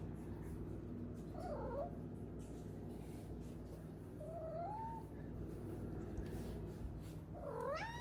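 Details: A 4-month-old female Maine Coon kitten gives three short, rising chirping trills over a low steady hum while her owner asks if she is hungry and what she sees out the window.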